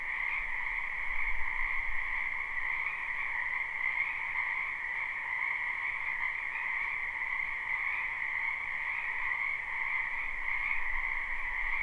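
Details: Continuous live chorus of many frogs in a spring wetland behind a house: layered overlapping croaks forming a constant two-tone buzz, higher band strongest, level steady throughout, with faint low rumbles underneath.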